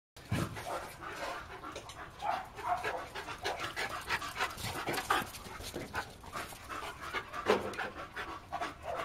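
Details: A male Bull Terrier, recorded 19 October 2014, pants heavily in quick, breathy bursts, each rough huff following closely on the last.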